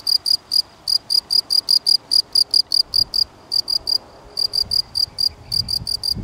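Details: Field cricket, Gryllus campestris, chirping in clear, high, pulsed bursts, about three to four a second, with short gaps between runs and a quiet background.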